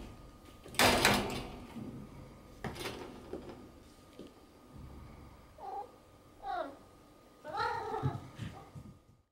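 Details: A cat playing with a sponge cube: thumps and rustling of play come first, then three short, falling mews near the end, each with bright stacked overtones, over a faint steady hum.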